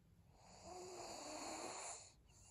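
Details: One drawn-out wheezy snore from Maria, a senior pug asleep on 7 February 2022. It swells gradually, holds as a rough nasal rasp for about a second and a half, then fades.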